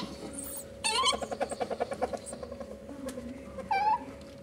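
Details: Mating ferrets, a hob and a jill: a sharp rising squeak, then a rapid run of about a dozen soft pulsed clucks, ending with another short high squeak over a constant hum.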